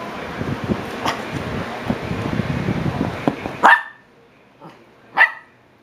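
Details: Shiba Inu puppies at seven weeks old; a low shuffling rumble fills the first three and a half seconds, then two sharp, bright yips ring out about one and a half seconds apart in sudden quiet.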